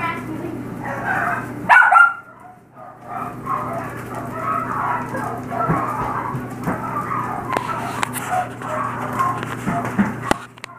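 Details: Five-week-old Yorkshire Terrier foster puppies, several together, giving a continuous chorus of soft whimpers and squeaky yelps, with a louder burst near the start and faint clatter in the background.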